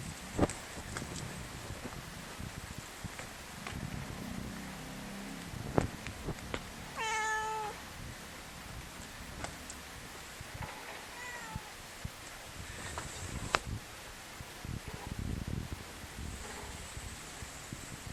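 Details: Friendly stray cat answering a person with a clear, drawn-out meow midway, then a fainter, shorter mew, against outdoor background noise with scattered clicks and rustling.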